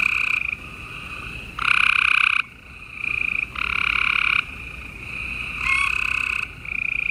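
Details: A chorus of gray treefrogs at night in Houston, Texas, on 28 April 2020 gives overlapping musical trills that swell and fade in long bursts.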